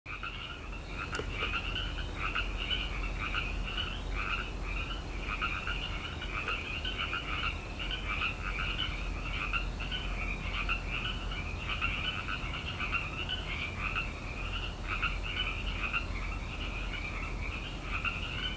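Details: Tree frogs croaking in Petaluma, California, in May: a dense, steady chorus of rapid pulsed calls overlapping without pause, each a short two-part rattle with a bright upper tone and a weaker lower one. A faint click sounds near the start.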